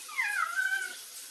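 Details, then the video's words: Chatty street cat talking back to its owner, giving a clear, fairly loud meow that starts high and slides downward, then levels off and fades over about a second in a small room. "too much talk the cat 말많은 고양이"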